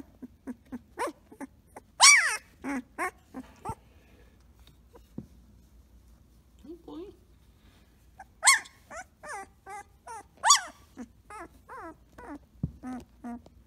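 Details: Samoyed puppy Blue Boy at play, from the Rose X Rider litter: rapid runs of short, bright yips and wavering whines in two bursts, with a soft lower murmur and quiet gap between them.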